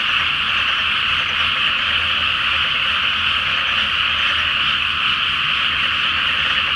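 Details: Great chorus of frogs at night in a rice field flooded ahead of planting, full moon above; a seamless, uniform din of overlapping trilling croaks continues without a break.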